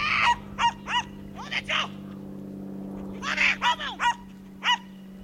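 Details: High, sharp single barks from a young Schipperke at a September 2010 herding course, spaced irregularly in two short groups, over a low steady hum.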